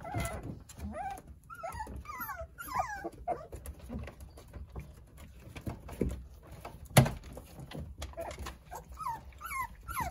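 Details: Nine Jindo puppies toddling and playing under the care of their mother, Sarang, give high, wavering whimpers and squeals in short rising and falling bursts, scattered through the clip with brief pauses and soft thumps of movement.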